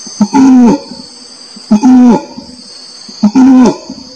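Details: Three drawn-out orangutan moans, each opening with a short grunt before a level, slightly falling harmonic tone, spaced about one and a half seconds apart against a steady high-pitched background hum.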